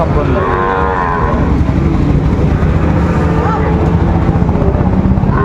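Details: Sahiwal bull calves at Raniganj cattle market in Dinajpur, recorded 30 May 2024: a drawn-out harmonic moo opens the recording over a steady low rumble of engines and market bustle.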